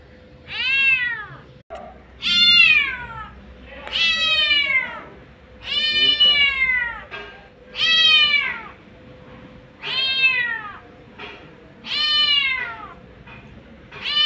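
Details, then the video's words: A street cat, a mother calling for her kittens, gives loud harmonic meows about every two seconds, each rising briefly then falling in pitch, about seven calls in a steady series; faint steady hum in the background. "Mother Cat Calling For Her Kittens | Mom Cat Sounds | Mummy Cat Voice | Mama Cats Meowing Videos"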